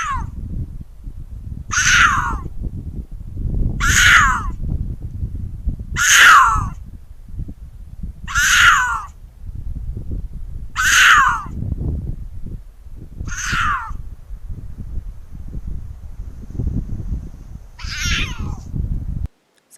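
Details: On a farm where this happens about once a month at dusk, an animal gives harsh, cat-like screams that fall in pitch, repeated about every two seconds, close by at bedtime; owner suspects a mountain lion after comparing clips.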